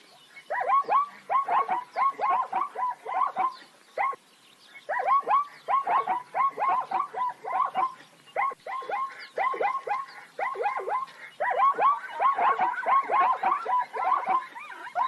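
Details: Plains zebras in nature give a rapid series of yelping, barking calls, each note sliding down then up, delivered in bursts of several notes with brief pauses, several animals seemingly calling over one another.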